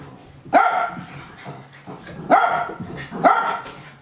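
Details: Japanese Spitz barking excitedly as young dogs play-fight nearby; three sharp, harsh barks spaced about a second apart.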